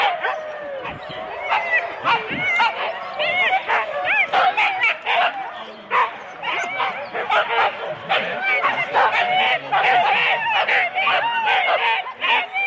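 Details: Husky four-dog sled teams at the start in Rendlesham, January 2016, recorded on analogue cassette tape: a dense, continuous chorus of excited yips, barks and rising whines from many dogs, overlapping without pause, with voices mixed in.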